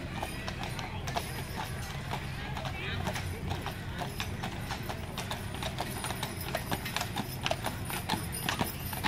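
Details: Team of two Percheron horses pulling a newly restored wagon in the Moravia Fair Parade on an evening in July 2014; steady, rapid hoof clip-clops on pavement throughout, with people talking nearby.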